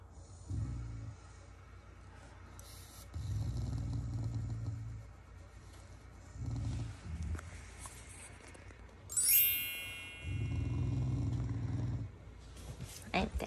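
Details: Shiba Inu, a loving family pet, growling as a sign of affection rather than anger: low rumbling growls in bursts of one to two seconds, repeated four times with pauses, with a bright chime-like jingle partway through.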